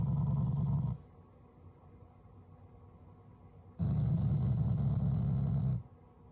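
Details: Affectionate growling from a Shiba Inu family dog that is not angry: a low, rough rumble lasts about a second and stops. After a quiet pause, a second deep growl runs about two seconds.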